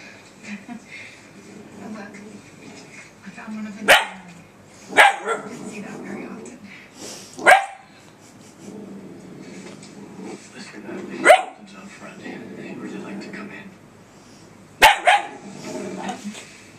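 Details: Faith, a female puppy, barks at her reflection off a laptop: sharp single yaps spaced a few seconds apart over a low murmur of people talking.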